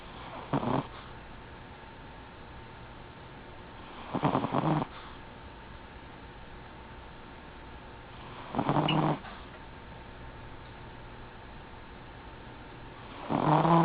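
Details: Chihuahua named Gin-chan sleeping indoors and snoring: rough, noisy snore bursts about half a second long recur roughly every four seconds over a faint steady background hum.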